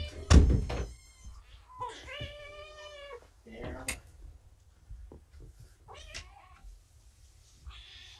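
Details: Rescued kittens at Purrfect Pals, five siblings found abandoned in a roadside box, indoors during a morning weight check: several high, wavering meows with stacked overtones, mixed with a person talking and soft thumps and knocks.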